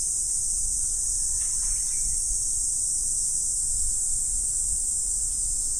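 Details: Autumn insects on a morning, forming a dense, unbroken high-pitched shimmering drone that holds steady throughout, with a faint low rumble underneath and a brief soft sound near the middle.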